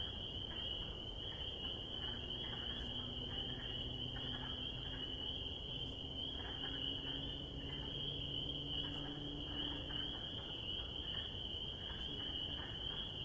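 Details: Spring peeper (Pseudacris crucifer) chorus in spring: countless high, shrill peeps blending into one dense, continuous ringing tone.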